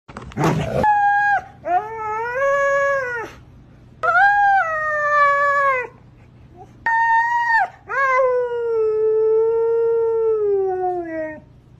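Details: Siberian husky howling in a series of drawn-out tonal wails, four long notes that swell and slide, the last one longest and falling slowly, after a short harsh noise at the start.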